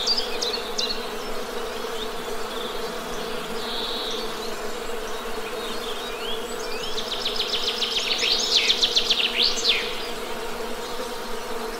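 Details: Honey bees buzzing in a continuous low, steady drone, with bird chirps and a fast rattling trill rising above it near the end.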